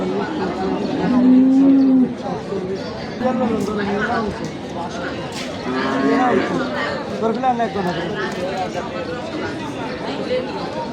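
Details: Cattle at a large cattle market in Sonapur, Noakhali, during a sale: one long, steady, low moo, then shorter, fainter lowing, over constant crowd chatter and men talking nearby.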